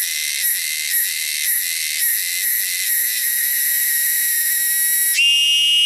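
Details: Cicadas native to the wilderness give a shrill, high-pitched drone, pulsing roughly once a second, then smoothing into a steady, slightly brighter buzz near the end.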